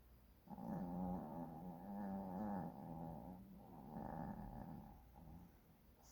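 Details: Sleeping puppy snoring: a low, rough, steady rumble lasting about two seconds, a brief pause, then another long rasping breath, with no other sounds.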